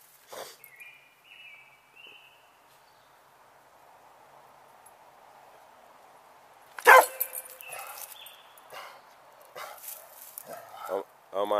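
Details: A Rhodesian Ridgeback barks at a turtle in the yard, with a sudden loud bark followed by shorter barks and yips.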